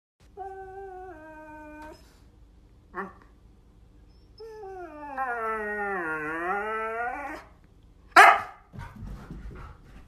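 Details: Siberian Husky acting the drama queen: a wavering whiny howl, a short yelp, then a long drawn-out moaning howl that dips and rises in pitch, ending with a sharp bark and some rustling.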